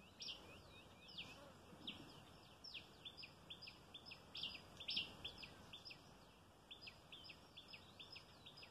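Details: Squirrel at mealtime, leaping about as it comes for food. Dense series of high, clipped chirps, some in quick clusters, running almost continuously over a soft outdoor noise bed.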